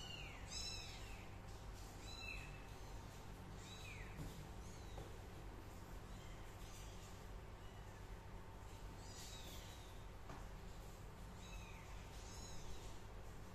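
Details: Young cat giving a series of high, thin kitten mews that fall in pitch, about one every two seconds, over steady low background hum.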